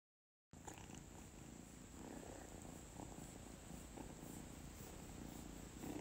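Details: A kitten (Felis catus) purrs with contentment while getting belly rubs before bedtime: a steady, low, continuous rumble with a soft pulsing rhythm.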